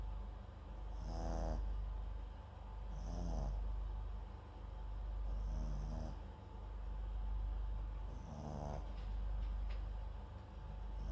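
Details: Snoring from MAX, a sleeping Papillon × Japanese Chin mix dog recorded close up by a microphone at his side; four coarse, buzzing breaths spaced around two seconds apart, each with a brief airy hiss, against a low constant hum.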